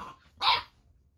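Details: Eight-week-old Boxer puppy named Baron, reacting to the lights, sounds and movement of an interactive robotic toy called Ollie, gives one short, sharp bark in a quiet room.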